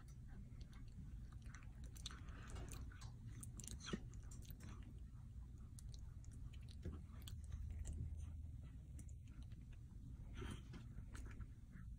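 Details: Quiet indoor chewing and crunching with soft clicks over a steady low hum, and no animal calls.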